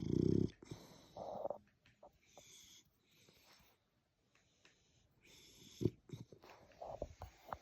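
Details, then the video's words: Sleeping French Bulldog snoring. Wheezy, snorting breaths come in uneven bursts: a loud rasp at the start, then softer snuffles, a near-silent pause midway, and a renewed run of raspy breaths toward the end. "snoring dogs all day and night"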